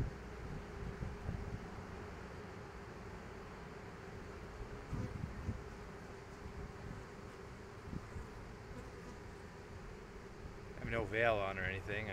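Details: A bee swarm on the ground in a parking lot, marching into a bee box as the bees fan their wings. A steady low drone hums throughout under faint wind rumble, and a brief warbling sound rises near the end.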